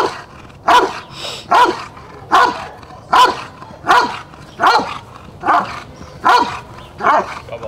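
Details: Rottweiler barking through the protection phase of a 2021 DVG America National Championships qualifier, the IGP3 dog Jefe von Tonatiuh; nine rhythmic, heavy barks in under eight seconds, steady and insistent.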